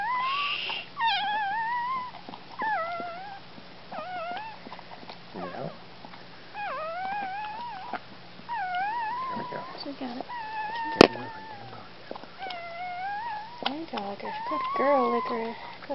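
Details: Scottish Terrier giving birth on December 29, 2010, with repeated high, wavering whining cries, about a dozen in sixteen seconds, some rising and falling, while people speak softly and encourage her nearby.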